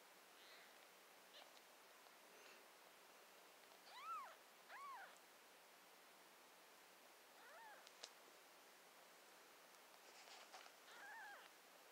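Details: Three-day-old newborn kittens giving thin, high meows that arch up and fall, a few scattered squeaks then a clearer pair near the middle, more faint cries later, over a quiet hiss of background noise.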